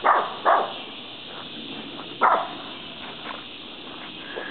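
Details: Doodle, a small dog, keeps barking after chasing a deer from the edge of the woods, giving two quick barks, then a single bark about two seconds later, with faint yips between.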